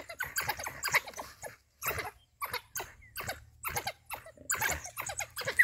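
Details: African wild dog pack that met a huge male lion while hunting in Balule Nature Reserve; bursts of high, squeaky chattering twitters in quick uneven runs, with short gaps of quiet between groups.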